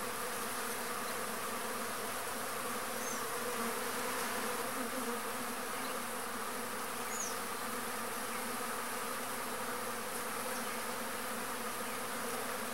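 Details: Native arapuá bee (Trigona spinipes), a stingless pollinator, working a pumpkin blossom; continuous buzzy drone with slight swells in loudness, a few faint thin high chirps in the distance.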